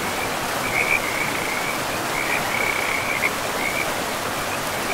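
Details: Frogs calling in a pristine forest beside a river: a run of short, rapid, trilling notes, partly overlapping, sits above a steady rushing of flowing water.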